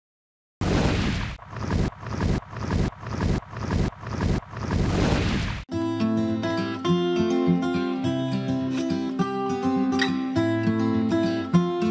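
Rhythmic noisy thumps for about five seconds, then guitar music with no bird song audible.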